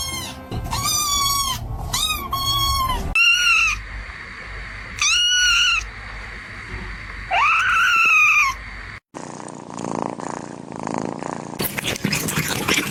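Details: Several loud, drawn-out kitten meows, some strained and wavering, repeat every couple of seconds. A tonal background sound runs beneath them, and the close switches to music-like noise.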